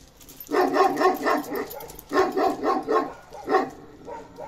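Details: Kangal dog named Karakırçıl Balyoz, a 15-month-old male beginning to mature, gives bursts of deep, rough barks in three groups, each group several quick harmonic woofs, with short quiet gaps between groups.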